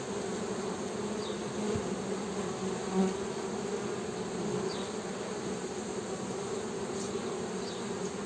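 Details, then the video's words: Continuous humming of honey bees, a dense low buzz that swells slightly at moments, with a brief louder pass near the middle and faint high chirps. "HONEY BEE'S HUMMING SOUND"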